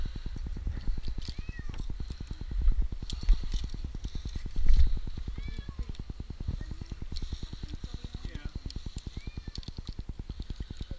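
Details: Jinx, an 8-month-old kitten stranded two nights in a tree in Newark, Ohio, gives several short arching meows during his rescue, half-buried under a loud, steady low mechanical throbbing and a man calling to him.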